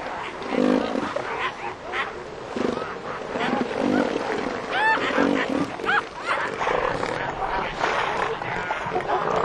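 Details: Southern elephant seal bulls fighting over mating rights for females; rough, throaty roars and gurgling bellows overlap in a dense, noisy colony soundscape with other seal voices and sharp, rising whistle-like calls from other animals.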